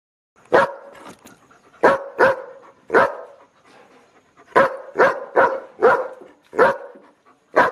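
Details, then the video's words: Dog barking loudly, one of several dogs in a compilation: short, harsh barks in uneven bursts, about ten across the stretch, some in quick pairs, with quiet gaps between and no other clear sounds. "Dogs BARKING LOUD Compilation"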